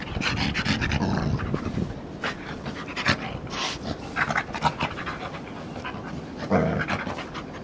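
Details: English Springer Spaniel named Jose rolling on grass after a shampoo, with breathy, uneven panting bursts and rustling, scraping noises from the grass throughout.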